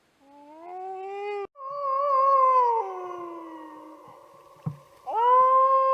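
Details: Free-roaming wild wolf of the steppe howling in a sequence: a rising wail breaks off, then a higher sustained note drifts downward and fades, a short thump interrupts, and a fresh strong howl starts at the end.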